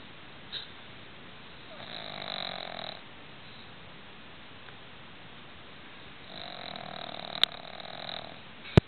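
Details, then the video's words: A pug named Roxy snoring in her sleep at night: two drawn-out buzzy, grating inhalations about a second long, separated by several seconds of quiet breathing, with a faint click near the end. "Roxy the Pug Chainsaw"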